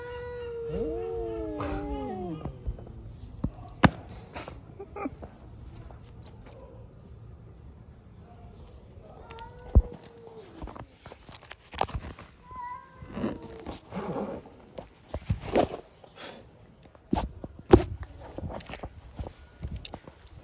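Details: Street cats fighting outdoors: drawn-out, wavering yowls that rise and fall, loudest in the opening seconds and returning around the tenth and thirteenth seconds, with a man speaking Turkish and sharp knocks between the calls.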